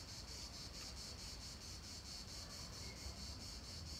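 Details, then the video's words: Cicadas in a Nancy park, France, end of July 2017: a sizzling high buzz beating in quick, even pulses, roughly two to three a second, with constant low-pitched urban rumble beneath. "Cigales à Nancy, fin juillet 2017; parc du palais du Gouverneur."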